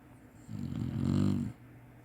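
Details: A single low, rough snore lasting about a second, swelling and then fading, from a napping Chinese Shar-Pei dog.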